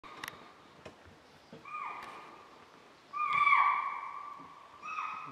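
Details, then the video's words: A deer at Bandhavgarh National Park, Tala zone, on a morning safari on 16 December 2018, gives loud, shrill, high alarm calls, each tone dropping at the end, warning of an unseen leopard. "Alarm call by deer for leopard at bhandhavgarh national park"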